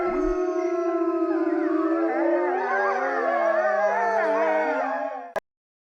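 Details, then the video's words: Overlapping coyote howls start with steady held notes, then grow busier with warbling, looping voices before cutting off sharply into silence. "Beautiful Coyote sounds"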